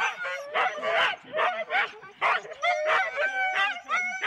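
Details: Four-dog Husky teams waiting at the start line, Rendlesham, January 2016, taped on analogue cassette; dense chorus of eager barks and high yips, irregular and overlapping, with a faint human voice mixed in.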